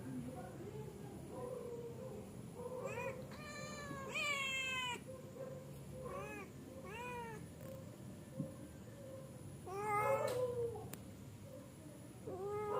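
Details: Cats settling down to sleep, giving a series of drawn-out, wavering meows with rich harmonics, several in quick succession, over a steady low indoor hum.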